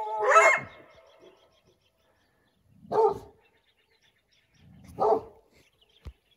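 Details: Coyotes out hunting in the morning give three separate harsh barks, spaced about two and a half seconds apart, in otherwise quiet surroundings, followed by a single faint click.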